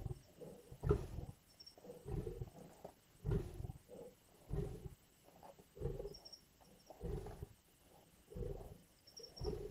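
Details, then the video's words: Lions growl, snarl, bite and roar at a kill in the Indian bush, with deep, rough, rumbling growl bursts coming again and again, roughly once every second or two. "The visceral sounds of lions at kill."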